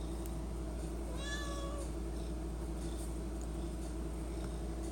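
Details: House cat begging for treats at the pantry, giving one brief arched meow near the start, then only a constant low indoor hum.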